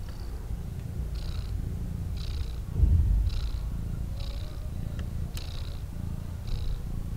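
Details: Two newborn kittens lying calmly in a basket, purring: a steady low rumble throughout, with soft breathy pulses recurring about once a second above it.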